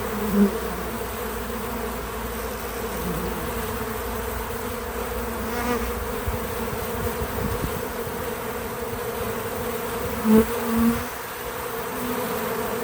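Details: Bees at a feeder with their natural buzzing untouched: a sustained low drone, short louder bursts near the start and around ten seconds as a bee passes close, then settling back to a steady hum.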